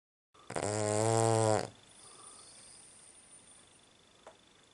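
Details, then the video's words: Cavalier King Charles Spaniel asleep at night, a heavy snorer, giving one loud, rasping, buzzy snore of about a second on the inhale, with a harmonic, droning tone, followed by quiet room hiss and a faint click. "snoring dog"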